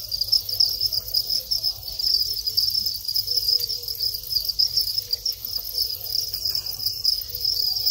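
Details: Thai field crickets (dế mèn) in their breeding cycle after moulting to long wings. Males chirp as mating begins, in a steady, high, shrill stream of rapid pulses that never pauses.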